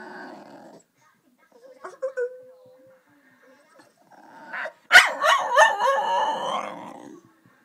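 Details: Female pet dog singing to her owner, prompted to speak: a thin, high whine held for about a second, a pause, then a loud, quavering, harmonic yowl that wobbles up and down before fading, with a woman's voice nearby.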